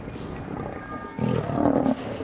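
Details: Lion in Taigan lion park, agitated as spring nears, letting out a short, deep, rough roar that swells midway through and lasts about a second, over steady outdoor background noise.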